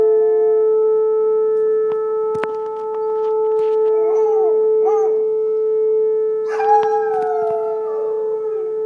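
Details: Alaskan Malamute howling in response to a tornado siren; the siren's steady, sustained tone runs throughout, with two short wavering howls midway, then a long, drawn-out howl that slides downward toward the end.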